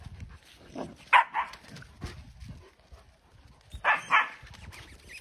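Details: Puppy at play gives paired sharp yips twice, one pair early and another near the end, amid soft rustling and a woman's coaxing Georgian speech.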